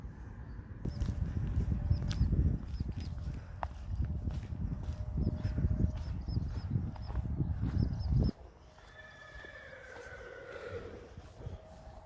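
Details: Friesian horse giving a falling, harmonic whinny near the end, after about eight seconds of loud low clattering hoof and movement noise that stops abruptly.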